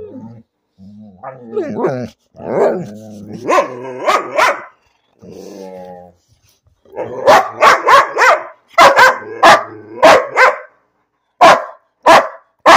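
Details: Bean, a pet dog, barking without cause; first low grumbling, whining vocal sounds, then a burst of rapid sharp barks in uneven clusters, a short pause, and two more single barks.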